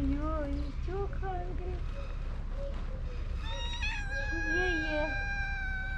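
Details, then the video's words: Mother cat and her kitten, hungry, meowing very loudly for food: several drawn-out, wavering meows, some rising then falling, followed by a long steady high note, with a man talking in Turkish and English. "Mother cat and kitten meowing loudly for food"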